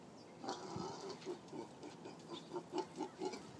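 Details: Pig giving a rapid series of short, nasal grunts, roughly four per second, each with stacked mid-pitched tones, steady in rhythm and loudness, forming a chant-like run over faint background hiss.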